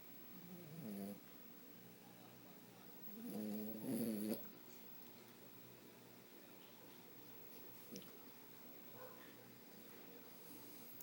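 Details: Sleeping French Bulldog snoring: two rough, buzzing low snorts, a short one followed after a pause by a longer rattling one, then quiet breathing-level hush with a faint click.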